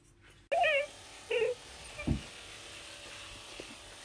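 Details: A baby Pembroke Welsh Corgi complains about being brushed at a grooming session indoors. Two short, high, wavering whines sound close together, followed by a brief low grunt, with a woman speaking in the background.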